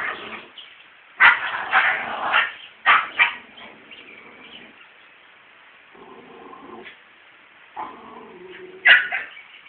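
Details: Male dog attempting to win over a female: harsh, drawn-out barks and yelps in a rough cluster, followed by lower droning whines and a final sharp bark.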